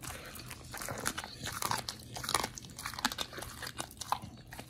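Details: Raw-fed dogs Oli and Nomy eating raw meat, November 2022 recording; rapid crunching bites and sticky chewing clicks packed closely, a few sharper cracks standing out.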